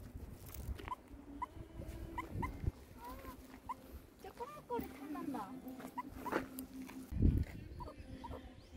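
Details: Meerkat on its first walk, encountering alpacas, giving short, high chirping peeps in quick bursts, with a low background hum.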